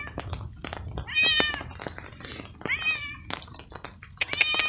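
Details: Hungry stray cat outdoors at night in unending rain, sheltered under a small umbrella, meows happily as it eats veal pieces; several short bent meows near 1, 2.8 and 4.3 seconds amid rain hiss and sharp eating clicks.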